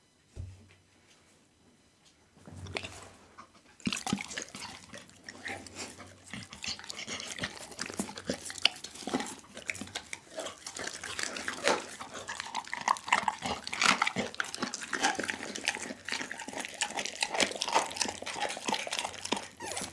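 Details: Doggy, a pit bull, eats a whole chicken; after about three quiet seconds, dense wet crunching and tearing clicks start and keep going, with a faint low hum underneath.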